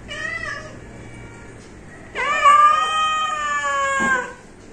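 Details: A house cat's short meow followed after a pause by a longer, louder, steady drawn-out wail of nearly two seconds, ending abruptly; quiet background.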